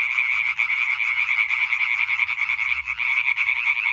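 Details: Singing concert of European tree frogs (Hyla arborea), 20 May 2023: quick rasping croaks from many frogs overlap into a loud steady din, with brief dips between bursts.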